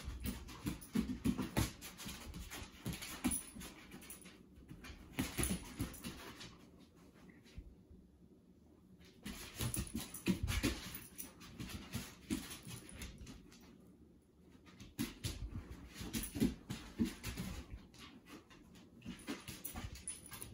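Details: Two dogs wrestling and tail chasing at play, one trying to get the other to join in: low rumbling growls and grunts in irregular bursts with scuffling and pattering, easing into quieter pauses around eight and fourteen seconds.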